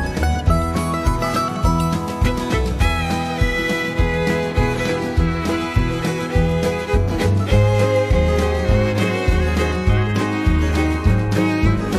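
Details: Upbeat country-bluegrass band music with fiddle, guitar and a steady thumping bass fills the whole stretch, with no animal voice anywhere.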